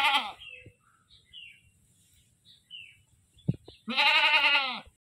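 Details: Goat screaming: a loud, harsh bleat of about one second near the end, rich in harmonics and rising then falling in pitch, after the tail of an earlier bleat at the start. Faint short bird chirps and a few clicks fill the quiet gap between.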